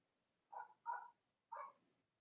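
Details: Cavalier King Charles Spaniel puppies from the litters of Robin and Myra, indoors in the US on a chilly Monday morning near Halloween: three short, bright yelps, the first two close together, then a pause before the third, over a quiet room.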